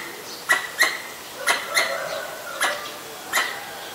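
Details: Danger call of a Pallas's squirrel in Ubon Ratchathani, Thailand, 1 January 2023, captured on a Nikon P1000: two quick pairs of abrupt, clicking chucks followed by single notes, with faint bird chatter underneath.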